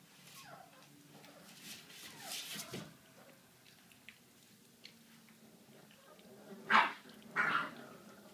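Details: Indoors, a 38-day-old American Staffordshire Terrier puppy makes faint whines early on, then two loud, sharp yelping barks near the end, with quiet room noise and a little speech between.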